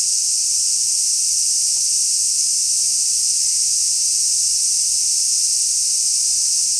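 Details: Large brown cicada at Kenmin Kenko Fukushi Mura, Koshigaya, Saitama Prefecture, Japan, 6 August 2016: a constant shrill sizzle, flat and unvarying from start to end.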